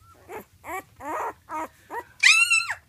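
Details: One-week-old female blue Weimaraner puppies held up to be seen, whimpering in a run of five short, wavering cries roughly every half second, ending in a longer, louder, higher squeal.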